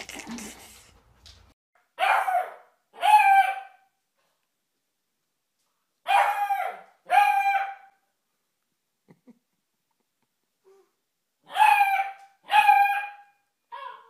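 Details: Puppy barking indoors in high, tonal yips that come in pairs, each pair a few seconds apart, with three pairs across the stretch and silence between them.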